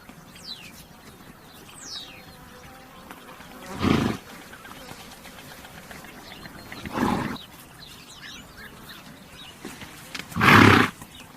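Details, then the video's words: Horse sounding three short, rough, breathy bursts spaced about three seconds apart, the last one loudest, while small birds chirp with thin rising and falling notes in the background. "THE SOUND OF A HORSE"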